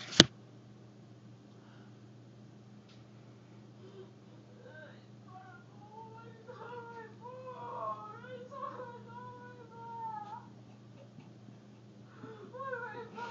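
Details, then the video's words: A cat calling indoors in a small room: a steady low hum underneath, then from about five seconds a run of short, high, wavering mews, several overlapping and bending up and down, with a sharp knock at the very start. "Kitty's sound effects"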